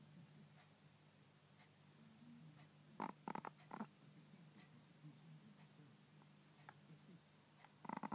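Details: Sleeping pet Pomeranian snoring indoors in a small room: a quiet stretch, then a cluster of three short, rough snorting bursts near the third second and another snort at the end, over a steady low hum.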